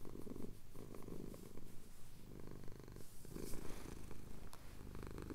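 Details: Chin-scratched male house cat purring at sunrise in the Cotswold hills, Tascam DR-07X recording; a low buzzing rumble that swells and eases in breathing cycles about every one and a half to two seconds.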